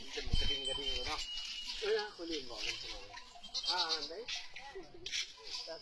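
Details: Goats raised under a provincial goat-rearing project in Salavan Province give wavering, tremulous bleats, several in a row, over a man talking and the light tinkle of bells.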